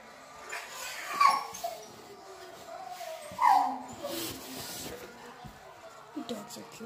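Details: Domestic dog giving two short, high whining yelps that slide downward, about two seconds apart, followed by softer whimpers, with low background murmur and room noise.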